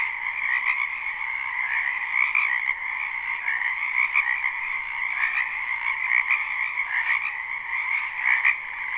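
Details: Spring wetland frog chorus, a live recording without looping: many callers blend into an unbroken wall of trilling croaks, a brighter upper band over a lower one, pulsing slightly every second or two.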